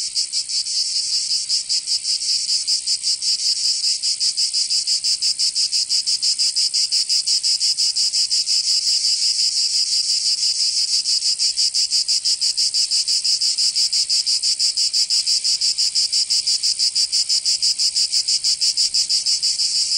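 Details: Cicadas singing in summer in Provence, southern France: a dense, loud buzzing chorus high in pitch, pulsing in rapid regular beats about three per second without pause, no other sounds standing out.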